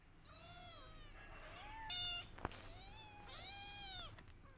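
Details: Kitten crying loudly for its mother: two long, drawn-out meows that rise then fall, rich in harmonics, separated by a brief harsh noise and a sharp click.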